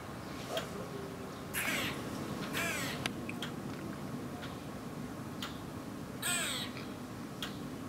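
Eastern gray squirrel giving alarm calls: sharp clicking kuks and longer, raspy, crow-like quaa notes.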